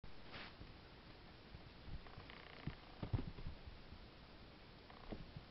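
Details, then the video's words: Two-month-old Ragdoll kitten recorded 09/05/2015, purring softly as a low, steady rumble, with a few faint clicks and light rustling sounds on top. "kitten 09/05/2015 2month ragdoll"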